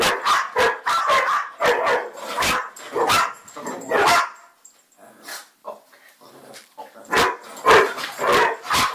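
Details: A dog barks in quick, irregular bursts, several sharp barks close together, then falls quiet for about two seconds before another run of loud barks resumes.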